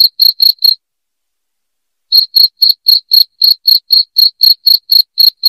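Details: Loud, high cricket chirps: a few quick pulses, over a second of silence, then a steady run of about four chirps per second to the end, with no other noise.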